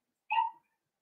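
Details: Indoor puppy pen with a litter of five blenheim Cavalier King Charles Spaniel puppies born at New Year's; one brief, clear, harmonic yelp lasting about a quarter second, otherwise silent room.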